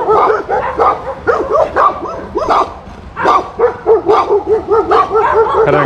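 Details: German Shepherd named Major in a village, barking among other dogs: a burst of loud, ragged barks, then a steady run of evenly spaced, mid-pitched barks about twice a second.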